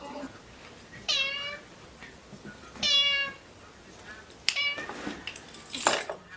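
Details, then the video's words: Kittens play fighting indoors: two clear descending harmonic meows a couple of seconds apart, followed by sharp scuffles, clicks and a high squeal, with a person speaking Malayalam in the background. "Kittens Play fighting"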